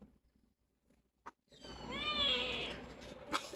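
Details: Rescued stray kitten with cat flu on her first vet visit, giving one high, thin meow that rises and then falls, after a little faint rustling.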